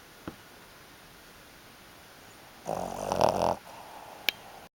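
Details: Fifteen-year-old Shih Tzu fast asleep and refusing to wake, letting out a single rough, breathy snore lasting about a second in a quiet indoor room, with a couple of faint clicks before and after.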